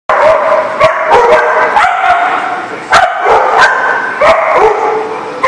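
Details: Several dogs barking together on 15 February 2019, a dense overlapping chorus of sharp barks and yips with sudden loud onsets roughly every half second to second, no pauses between calls.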